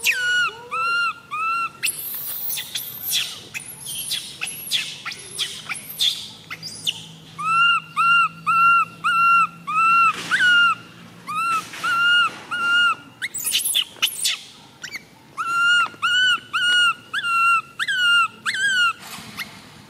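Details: Baby monkey MoMo, tiny and female, cries while falling down; steady bursts of arched, whining notes with rich overtones, repeated in pulsing clusters, broken by sharper shrieks.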